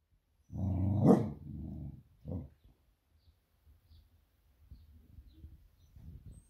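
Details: Female Beagle Smudge at home, alerting that her owner is almost back from a surf; one long, rough bark with a growly edge, then a shorter bark, followed by faint low rumbling and small noises.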